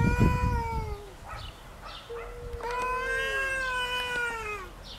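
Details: Domestic cat fighting over territory: drawn-out, wavering yowls, one near the start and a longer one from two to nearly five seconds, each bending downward at the end, with a few faint short cries between them.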